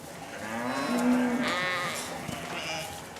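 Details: Sheep of a flock in France, kept with a newborn Patou guard dog puppy so he hears and smells them day and night and is accepted; a wavering bleat rising and holding, then softer overlapping bleats.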